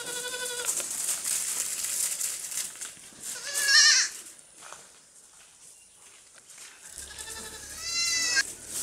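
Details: Young goats at play on a farm give wavering, high-pitched bleats: one at the start, a short one midway, and a longer trembling bleat near the end, over a low hum and faint rustles.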